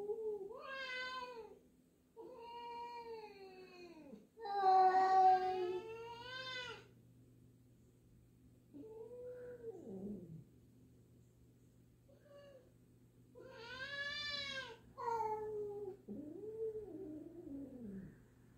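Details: Two cats meeting at home, black cat Jill unsure of the new black-and-white cat; repeated loud harmonic meows and wavering yowls, some rising then falling, with quieter short mews between, indoors.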